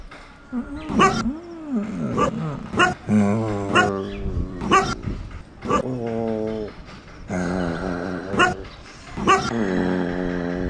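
A dog gives sharp yips and barks roughly every second, with drawn-out, nasal, whining tones held between them.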